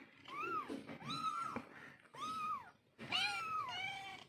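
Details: Mother cat calling to her kittens: three clear arched meows, each rising and falling, then a longer, louder meow that ends on a flatter, lower tail.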